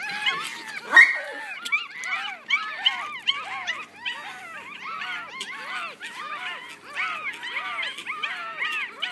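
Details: Chorus of six Yorkshire Terrier puppies, one week old, whining and squeaking together; rapid downward-curving cries overlap throughout, with one louder yelp near the start.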